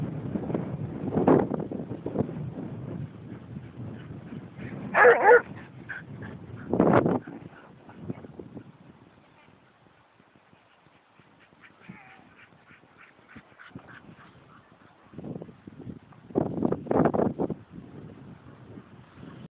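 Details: Playing basset hound with scattered barks and whimpering yips separated by quiet pauses, then a renewed flurry of short barks toward the close.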